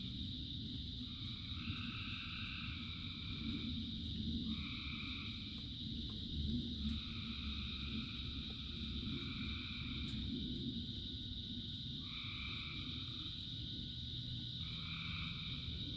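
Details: A rain-soaked chorus from thousands of frogs, with overlapping bursts of buzzy trilled calls starting and stopping every one to three seconds, set against continuous rain patter and a deep, even rumble.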